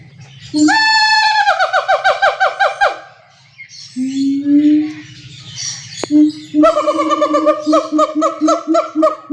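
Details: Siamang, also called black monkey. A long, loud, harmonic whoop slides downward, followed by a softer, slowly rising wail. Next comes a quick pulsed series of strong harmonic hoots. A low background hum is steady throughout.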